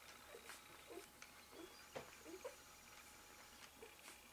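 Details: Newborn Malamute/Husky puppies, one day old, beside their mother Eclipse: a run of small, mid-pitched squeaks and mewing whimpers, about a dozen in four seconds, over low steady room hum and soft shuffling.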